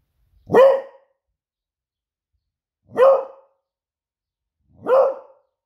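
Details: Smudge, a female Beagle indoors, barking to raise the alarm as she senses her owner nearly home from surfing; three loud, clean barks spaced about two seconds apart, each sharp at onset with a brief tonal ring.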